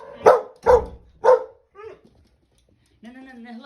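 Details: Female dog barking at guests, taking on the role of protecting her owners on her own territory, in an overexcited state; three loud, sharp barks in quick succession, then a quiet pause and a person begins speaking.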